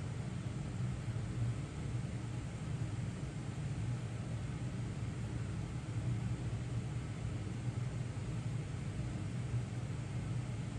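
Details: A continuous low engine-like rumble and hiss runs throughout, with no animal calls present.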